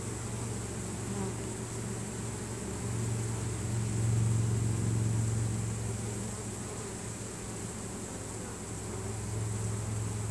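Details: Honey bee swarm marching into its new hive while releasing Nasanov pheromone to guide the others in, a dense low continuous hum swelling mid-way and easing off again.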